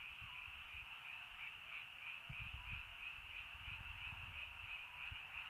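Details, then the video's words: Evening frog chorus in rainy countryside, early night: many frogs merge into a steady, shimmering high-pitched trill with quick rhythmic pulses, over soft irregular low knocks and thumps. "비 시골 저녁 개구리 소쩍새 rainy countryside frog bird in early night"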